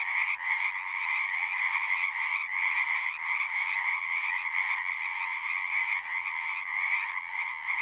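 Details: Massed frog chorus from a horse-pasture pond, captured with a Zoom 6: continuous rasping trills layered into a bright higher band over a lower one. A brief dip near the start breaks the otherwise unbroken singing.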